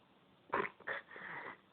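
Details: Snoring cat: a loud, rough snort is followed by a shorter rasp, then a long, softer, breathy wheeze. Each breath is noisy and unvoiced, heard indoors.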